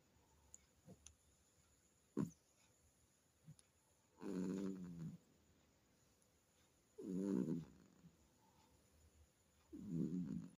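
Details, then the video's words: A cat sleeping soundly at night, snoring: three rasping, purring snores about three seconds apart, each roughly a second long with a fluttering, ribbed texture, plus a few soft clicks and a faint steady high hum in the room. "රෑ නින්ද .. හොඳට ගොරවනවා snoring"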